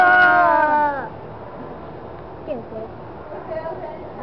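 A seal lets out a strong, drawn-out moan that drops in pitch and sounds oddly voice-like. Fainter, shorter calls follow over a quiet background.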